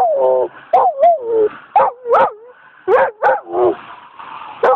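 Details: German Shepherd and Golden Retriever mix dog howling at sirens on a Friday night in December 2009: wavering, yodelling howls broken into short rising and falling notes, with sharp yips between.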